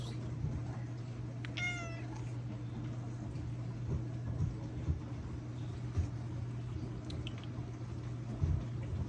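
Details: A house cat meows while craving attention from its owner. There is one clear, tonal meow that slides downward in pitch, followed by quiet with a constant low electrical hum and soft knocks.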